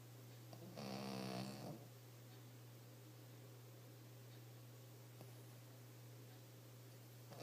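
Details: A dog snoring in its sleep, one rough, throaty snore rising out of the quiet at about one second, then only soft breathing over a steady low electrical hum.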